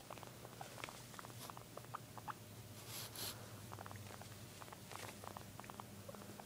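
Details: Guinea pig indoors making scattered short squeaky pips, some in quick pairs, with a soft low hum beneath and a brief rustling burst midway.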